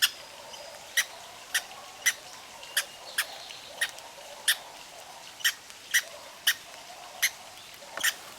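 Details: Greedy red squirrel hiccuping after gulping seeds: brisk, high, clicking chirps spaced about half a second apart, somewhat softer, over steady background hiss.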